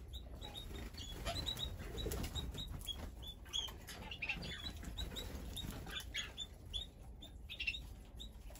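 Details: Guinea pigs give short, high squeaks in quick irregular bursts over steady munching and rustling as they feed at a spread of food.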